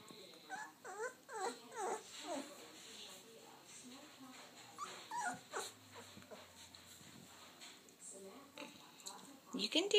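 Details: Two-week-old puppies whimpering and squeaking in short, rising and falling cries, repeated in bursts, with a person talking encouragingly over them.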